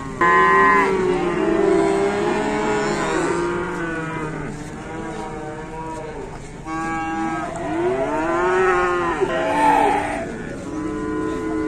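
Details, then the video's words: Several cattle at an Indonesian farm mooing in overlapping bouts, with rising and falling harmonic bellows around two, seven and nine seconds and a faint vehicle hum beneath. "KEDATANGAN SAPI SAPI LUCU"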